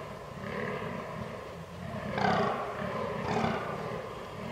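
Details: Fallow deer in rut, 22 October 2022, filmed with a Canon R6: rhythmic low groans with two stronger, rasping bursts near the end standing out above the steady pulsing.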